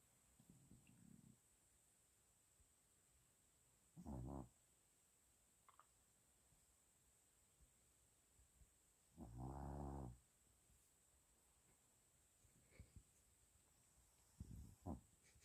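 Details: Sleeping Shih Tzu snoring indoors: low, rasping, buzzy snores come in irregular bursts, four clear ones over fifteen seconds, the longest and loudest lasting under a second near the tenth second, with quiet breathing gaps and a faint steady hiss between.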